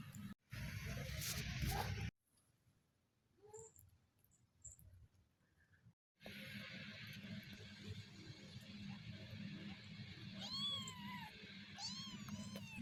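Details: Newborn kittens in their first week of life give thin, high mews: two arched, rising-then-falling cries close together near the end, after muffled handling noise and a quiet gap, over a steady low indoor hum.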